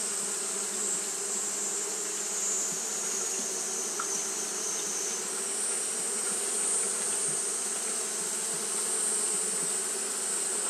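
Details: Japanese honey bees keep up fanning behaviour through a hot day: an even, sustained buzz with faint pulsing in its loudness, set against a constant bright hiss.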